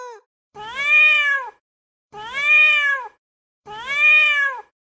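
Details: Domestic cat sounding angry, used to deter mice and rats: three drawn-out meows, each rising then falling in an arch, spaced about one and a half seconds apart with silence between.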